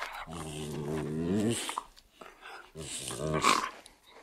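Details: Medium poodle pups growling: two low, rumbling growls, each about a second and a half long, with wavering pitch. A short pause separates them, and soft scuffling noises are heard in between.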